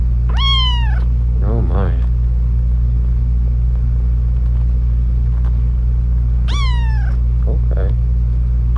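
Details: Kittens meowing: two loud, sharp, high-pitched falling meows several seconds apart, with softer squeaky cries between them over a strong low hum.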